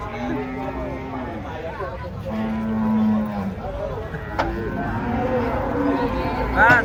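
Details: Huge aggressive cattle coming down off a truck; a short low call is followed by a sustained, even-pitched moo lasting over a second, with people talking and vehicle noise around.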